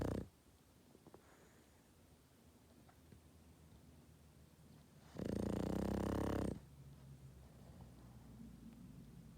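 A Boston Terrier snores, with one loud, rasping, rumbling snore breaking a quiet room.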